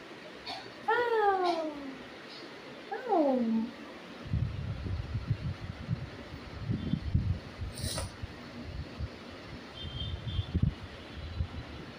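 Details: Cat giving two drawn-out meows, each sliding downward in pitch with strong harmonics, near the first and third seconds; low voices and household noise follow for the rest of the stretch.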